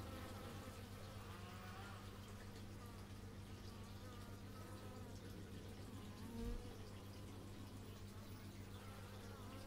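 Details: Many bees droning, recorded in stereo through an x/y microphone; a persistent low hum with shifting higher buzzes of passing insects, interrupted once midway by a brief dull thump.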